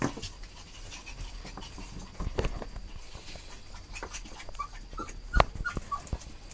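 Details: A Chihuahua, from a Chihuahua parent and pup pair, pants softly with brief whimpers and a thin, high whine near the end.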